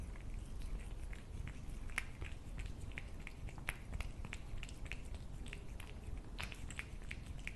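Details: Cat at its food: quick, sharp chewing clicks come in uneven bursts, some moist and smacking, over a low hum.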